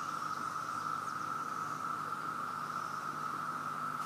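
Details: Massed cicadas hanging, climbing and flying everywhere in Virginia, producing an overwhelmingly loud, even, sustained whirring drone on a single mid pitch, unchanging for the whole stretch, with a soft high hiss overhead.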